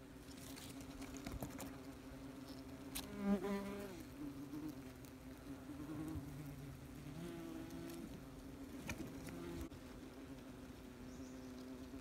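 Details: Busy wasps at a nest, heard up close: a continuous low buzzing drone, with a few individual wasps passing nearby whose hum briefly rises and falls in pitch.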